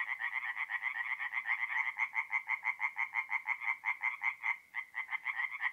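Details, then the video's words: Forest pond at night in north-east Italy in April, where singing tree frogs give quick, sharply pulsed croaks, clearly separated beats running steadily with a brief gap near the end. "relaxing forest pond by night with singing tree frogs"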